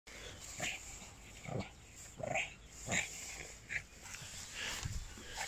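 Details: Boston Terrier playing outside in farmers' fields, in play mode: a run of short wheezy, snorting puffs roughly once a second, each a breathy burst with a raspy upper edge, over steady outdoor background hiss.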